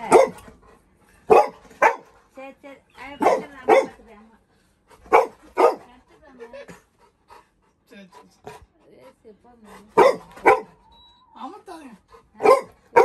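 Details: Little John, a Labrador Retriever puppy scared of a new kitten in the house, barking loudly in complaint: sharp barks in irregular bursts of two or three, with whiny yelps between and quiet gaps.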